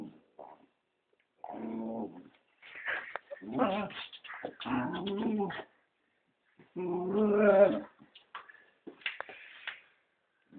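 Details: Female Scottish Terrier moaning in protest at wearing her leash for walks, part of a teasing game with her family before she gives in; drawn-out low, throaty moans and whines in several bursts, with people talking between them.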